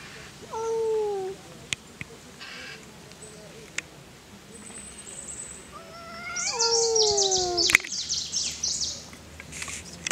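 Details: Wild-met cats quarrelling in a forest: a short descending yowl, then after a pause a louder falling wail layered with rising cries and harsh high hissing, with sharp clicks between calls.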